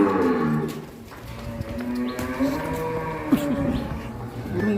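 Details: Giant cow being brought out of its pen so a young man can ride it; a drawn-out, low lowing moo with stacked harmonics that rises slightly, over a steady background hum and faint noise.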